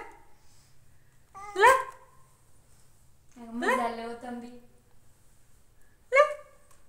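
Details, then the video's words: Cat meowing in a small room: a short rising mew, then a longer wavering call, and a final brief meow, with soft human baby-talk in the background. "meow meow"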